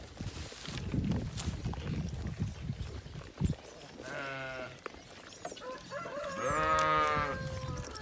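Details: Boer goats, a South African farm breed, bleating twice in the second half: a shaky quavering cry, then a louder, longer one, following low background rustling and handling noise.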